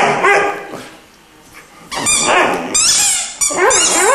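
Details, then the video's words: Three-month-old Irish Wolfhound puppy vocalising musically. A soft, muffled stretch gives way to louder, bright, wavy yowls with sharp pitch swoops toward the end. "Irish wolfhound is singing"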